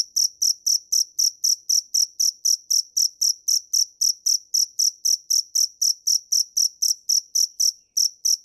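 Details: Cricket (dế mèn) chirping rapidly and regularly, around four high, bright pulses each second, with a short gap near the end before resuming; no other sounds present.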